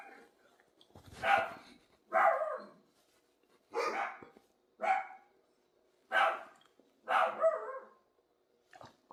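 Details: A dog gives single loud barks spaced roughly one to one and a half seconds apart, seven in a row, each a short harsh burst, in a quiet indoor setting.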